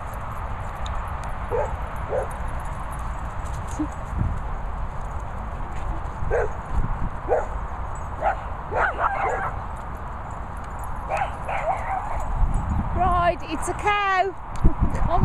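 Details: Finlay, a Cocker Spaniel, gives short, sharp barks at a calf, with a few higher yips near the end.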